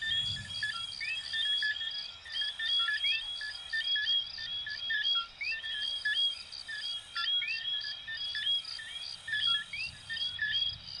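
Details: Night chorus of many coquí frogs, Venezuela and Puerto Rico: repeated short piping notes and upward-swept whistles overlapping loosely, layered over a continuous high-pitched insect drone.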